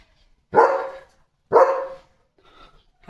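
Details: Two loud, deep barks from a German Shepherd, spaced about a second apart, each a sharp onset fading into a rough, ringing tail, then quiet with a faint distant sound.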